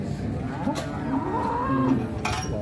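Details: A cow rampaging at a market gives a drawn-out, slightly wavering harmonic moo beneath constant crowd noise and passing traffic.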